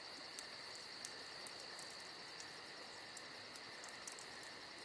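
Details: A summer night chorus of crickets gives an unbroken shrill trill with quick rhythmic pulses riding high above. A campfire adds faint, sparse crackles, ending on one sudden snap.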